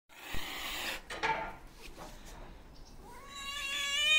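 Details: Hungry white and ginger male stray cat seeking attention: a breathy, noisy hiss with a couple of sharp bursts, a short pause, then a long, clear, rising meow that grows louder at the end.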